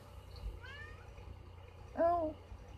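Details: Domestic cat wanting to come inside, giving two clear meows in a quiet room: a faint, wavering mew, then a louder, slightly falling meow about a second later. Low background hum.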